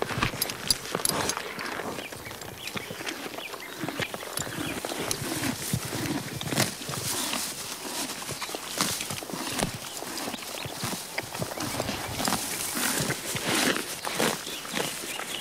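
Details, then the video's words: A horse eating grass, with a continuous run of rough chomping and tearing noises, roughly a hundred and some bites and crunches per minute, uneven in rhythm, with a faint outdoor background. "Horse Eating Grass Sound Effect"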